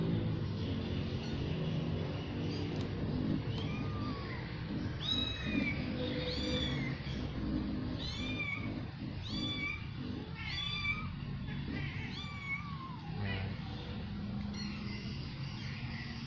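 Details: A new family of domestic cats, a mother with her kittens, at feeding time. Thin, high mews arch up then fall, bunched into a quick run of calls mid-clip over a steady low hum and people talking.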